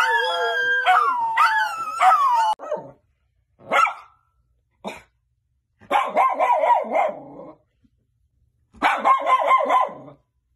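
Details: Miniature Schnauzer 'talking': long wavering, yodel-like howling whines with rich overtones, broken by short clipped barks and silent pauses, then two more bursts of warbling, wobbling vocalizing.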